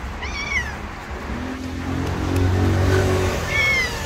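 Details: Hungry stray street cat crying for food, two high arched meows, one at the start and one near the end, over steady traffic rumble and a low hum in the middle.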